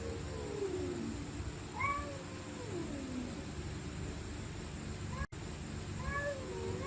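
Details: Stray cats fighting at night, low slurred moaning yowls then sharper rising wails, one brief dropout near the end, with a continuous low hum underneath.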